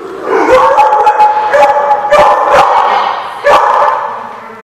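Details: Dog at The Barking Lot, recorded 24 July 2015: about five sharp, loud barks spaced irregularly, with a thin whining tone running between them.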